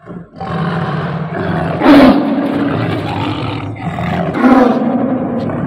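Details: Tame Bengal tiger giving an angry roar: two loud harsh roaring bursts about two and a half seconds apart, each trailing into a rough rumble, with music in the background.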